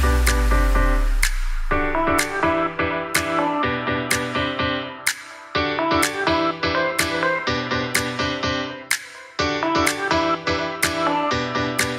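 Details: Only plucked melodic music with steady repeated notes is heard, with no animal sounds.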